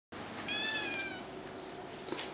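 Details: Two-month-old kittens play fighting indoors. A single short, high, thin meow with a slightly falling pitch stands out over soft rustling and scuffling.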